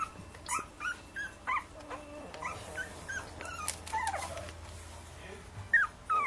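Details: Puppies whimpering and yipping: a rapid run of short, thin whines that sweep up and down, some brief and squeaky, with a faint steady hum underneath and a person speaking afterwards.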